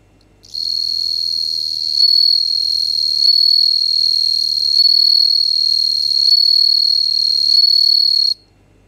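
A bell cricket sings a clear, high, bell-like ringing trill that runs steadily for several seconds.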